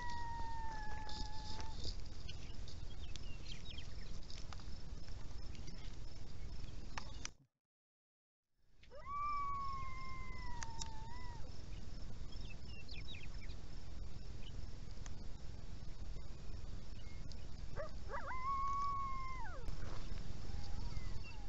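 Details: Several coyotes heard unusually close on the Montana prairie, howling to announce their presence: three long wavering tonal howls that hold level then bend downward, spaced across twenty seconds, over steady low rumbling background noise.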